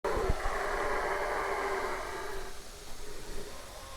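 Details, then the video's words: Howler monkey calling: a sustained, broad, rushing roar that holds steady for about two and a half seconds, then drops to a quieter, rougher rumble with small swells near the end. "Efeito sonoro de macaco Bugio"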